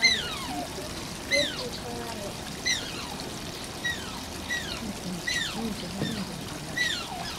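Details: Asian small-clawed otter named Shishimaru at Oji Zoo, Japan, whining: thin, high, downward-sliding squeaks repeated about every second and a half over steady trickling water.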